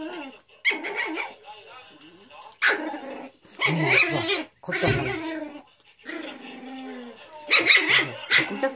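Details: A Pomeranian and a poodle fighting: bursts of sharp, harmonic barking and rough growling come in uneven clusters, loudest around the middle and again near the end, with quieter snarling in between.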